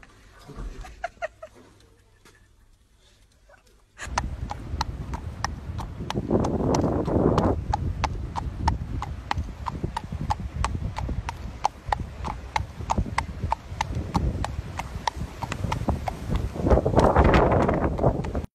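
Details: Horse being led on a walk by a dog; after a few quiet seconds, steady clopping hoofbeats about three per second, over a loud low rumbling background that swells twice.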